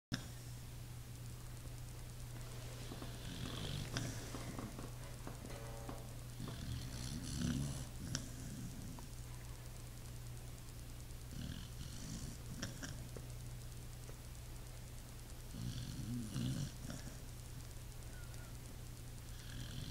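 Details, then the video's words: Sleeping Pit Bull snoring, slow raspy low breaths with hissy exhales about every four seconds, over a steady low electrical hum. "Pit bull snoring"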